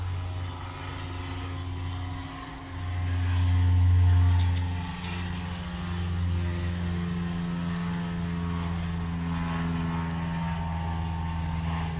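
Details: Loud engine drone with steady low tones that swells briefly, plus a few faint ticks, and no animal sounds.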